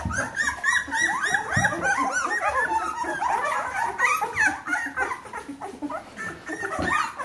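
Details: A litter of 14-day-old Bernese Mountain Dog puppies indoors, many voices squealing and whining together in a dense chorus of rising and falling high-pitched squeaks, about three calls a second.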